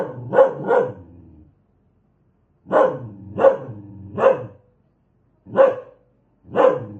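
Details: An aggressive dog barks seven times in under seven seconds: a quick pair, then a string of three, then two single barks, with silent pauses between.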